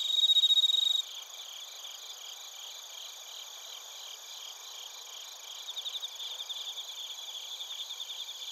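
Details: Chorus of bell crickets and other crickets from Narita in Chiba Prefecture, Japan, recorded on a TASCAM Portacapture X8. A brief loud ringing note opens, then a high, dense chorus of rapid pulses follows, with rhythmic bursts that swell again later.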